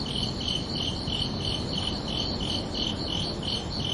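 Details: Short burst of crickets chirping at night in summer, about three high, bright pulses per second in a regular beat, two interleaved voices, with a steady low hiss underneath.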